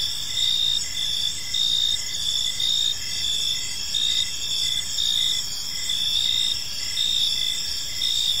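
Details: Crickets chirping on an evening in a peaceful park, a dense high-pitched chorus of steady trills with pulsed chirps repeating roughly once a second over a soft background hiss.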